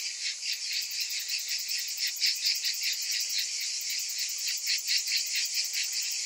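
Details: Summer cicadas massed in a shrill, sizzling drone, pulsed quickly, with a few brighter, louder swells rising out of the steady buzz.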